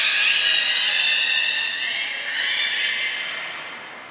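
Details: Captive belugas during a training session with the whole group taking part, Port of Nagoya Public Aquarium, Japan, 16 March 2024; dense, overlapping high harmonic squeals and chirps stream continuously, slowly fading toward the end.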